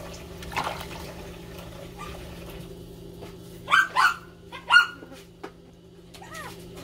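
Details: Puppies crying loudly while competing for attention: a tight burst of three high, wavering yelping whines midway, then a softer arched whine near the end, over a steady low electrical hum and faint clatter.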